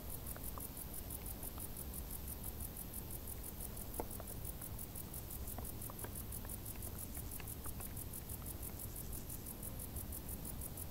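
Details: Summer crickets in tall grass keep up an even, fast pulsing of thin high chirps, over a dense low hum and a few faint clicks.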